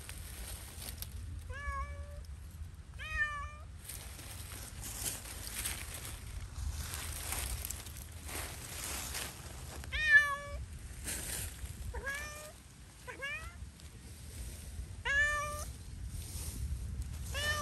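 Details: Pet cat roaming freely in Pushkin Park gives repeated bright meows, singly and in quick pairs, scattered through the clip over a low wind rumble.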